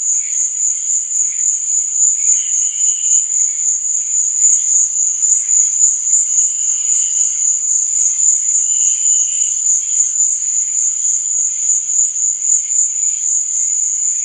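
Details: Night chorus of crickets, a steady shrill ringing trill with fast regular pulsing and a softer lower hum that rises in short bursts now and then, with nothing else audible.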